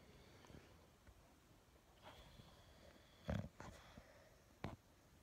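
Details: An English Bulldog waking up in the morning gives short, breathy snorts and sniffs, with two louder, harsher snorts near the end.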